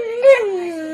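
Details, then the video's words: Domestic dog answering its owner in a 'talking dog' moment: a single one-second tonal whine with a quick upward bump, then sliding gently downward. "Talking Dogs"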